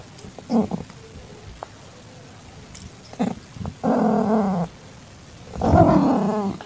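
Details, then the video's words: Calico tabby cat in heat with a newborn calico kitten, evening of 8 September 2021: short low grunting sounds, then two long, harsh, moaning yowls, the second louder and rougher, over quiet room noise. "Calitabby Cat In Heat"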